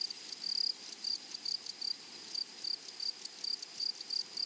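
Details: Meadow grasshoppers on a flowery prairie sing in crisp, dry chirring pulses, grouped into quick bursts of uneven length that repeat several times a second over a faint continuous background hum.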